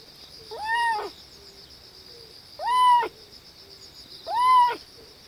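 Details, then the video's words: Baby cat pooping and voicing odd calls: three loud, arched mews, each rising then falling, about half a second long and repeated every couple of seconds, with a constant high whine behind them. "이상한 소리를 내면서 똥 싸는 아기고양이"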